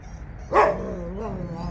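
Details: A single abrupt bark from a Jindo dog on a walk, followed by a steady low tonal hum and quiet outdoor background.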